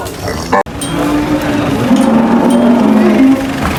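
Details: A cow unloading from a truck at a market makes a steady, low, hum-like moo for about two seconds amid crowd murmur and a sharp knock near the start.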